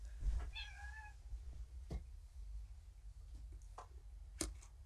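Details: Rescued female cat at a shelter, once found at a volunteer's door fleeing raccoons, meowing for food in the afternoon: one short rising-falling meow with clear harmonics, then soft clicks and a sharp knock; quiet room with low hum.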